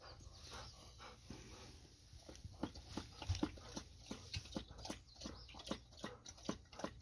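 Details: After a walk, Golden Retriever Ibuki or Kohaku gulps water before a treat: quiet start, then a quickening series of crisp wet laps, roughly one per second and growing louder.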